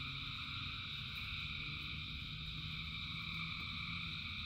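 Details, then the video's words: Frogs calling together in rain, a thick steady chorus with several overlapping buzzy tones and no pause, backed by a heavy low wash of rainfall. "Frogs in Rain 2 Hours of Frogs, Thousands of Frogs Singing"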